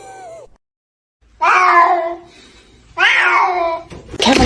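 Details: A cat meows twice in loud, even, harmonic cries about a second and a half apart, with a brief fainter call at the start and a noisy burst at the close.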